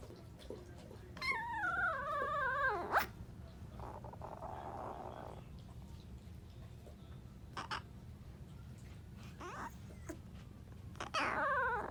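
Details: Two-day-old Alaskan Malamute puppy trying to howl: a short wavering, warbling squeal rises and falls for about two seconds, then quiet rustling and faint clicks, ending with another brief high wavering cry.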